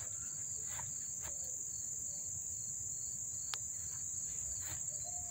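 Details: Up-close chirping of crickets in Dobbs Ferry, New York, August 1, 2014; a sustained high whining trill runs the whole time beside rapid rhythmic pulsed chirps, with a few sharp clicks.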